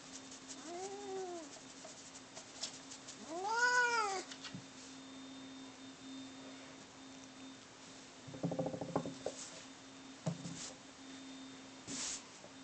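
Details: Domestic cats Bono and Mickey fighting indoors: two drawn-out, arching yowls near the start, later broken by scuffling bursts and clatter, with a steady electrical hum beneath.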